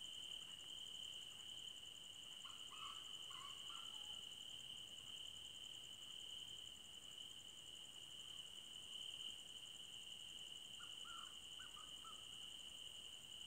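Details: Crickets in a forest at night: a steady, high, unbroken trill beneath a faster pulsing buzz higher up, with short lower hoot-like calls from another animal around three and eleven seconds.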